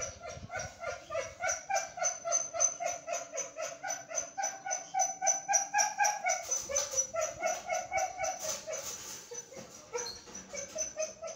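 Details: Belgian Malinois puppies, 23 days old, giving a steady run of high, tonal whining cries, about four per second, rising and falling slightly, with fainter overlapping cries later in the sequence.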